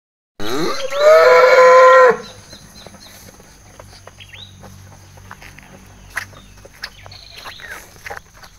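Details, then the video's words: Cow on a cattle farm calling its companions: a single loud, drawn-out moo lasting nearly two seconds, steady in pitch with a rich harmonic tone, followed by quiet background with faint clicks and distant small chirps. "Suara Sapi Lucu Memanggil Kawannya"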